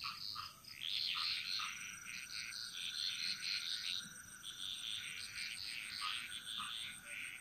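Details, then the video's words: Dense frog chorus echoing through a jungle in Bali, many overlapping rattling and chirping calls forming an almost continuous wall of sound, with occasional lower short downward blips and a steady high whine behind. "Frog Mantras - Relaxing Sounds Of Bali"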